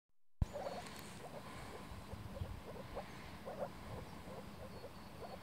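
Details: Several moor frogs at a spring breeding gathering in a flooded forest pool in Warmia, 2017, make muffled, bubbling notes like air escaping from an underwater bottle, in short repeated bursts over a steady low rumble.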